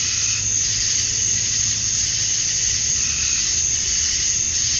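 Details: Dusk chorus of male cicadas on a Georgia, USA summer night, calling for females: an even, piercing buzz held without pause, a faint low hum underneath.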